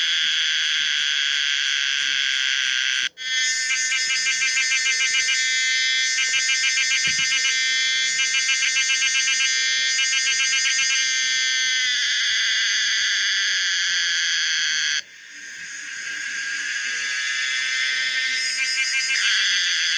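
A Pomponia linearis cicada sings a loud, shrill, continuous buzz with a fast rattling pulse.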